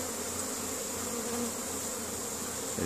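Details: Honey bees foraging in spring, bringing pollen home to the colony's queen on May 10th 2015 in Caribou, Nova Scotia, Canada; a steady, soft low droning hum beneath a constant faint hiss, with no clear breaks.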